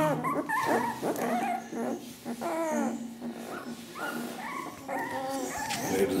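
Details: Ten-day-old Ca de Bou puppies whimpering: a run of short, high, wavering whines that bend up and down, several overlapping in quick succession, with a person's voice faintly in the background.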